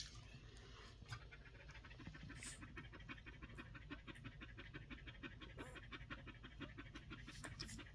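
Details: One-week-old Collie puppies breathing in quick, soft, rhythmic pants, about three per second, steady and faint throughout, with a few brief rustling clicks over a low background hum.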